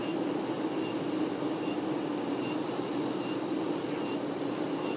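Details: Steady droning buzz from worker honey bees tending the queen, full and even with a low hum, overlaid by faint high whining tones that come and go.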